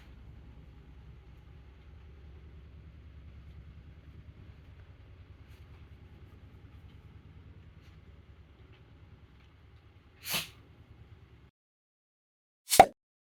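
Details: Mameshiba dog Taro sneezing repeatedly in a day that also includes licking ice and eating from chopsticks; a low steady rumble fades out, then two sharp, explosive bursts about two and a half seconds apart.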